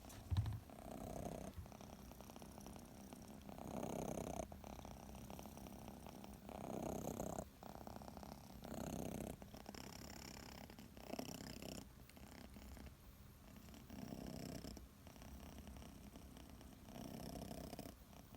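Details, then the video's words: Six-month-old kitten Chachamaru sleeping comfortably under a kotatsu, purring and snoring: soft low rumbling bursts of a second or two, rising and falling with each breath, separated by short quiet gaps, in a small quiet room. "いびきをかきながらコタツで寝る子猫 cats snore"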